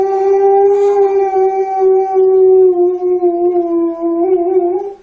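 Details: Alaskan Malamute puppies, kept as family dogs playing with children, give a long steady howl lasting about five seconds, holding one even tone that dips slightly lower midway before lifting again at the end.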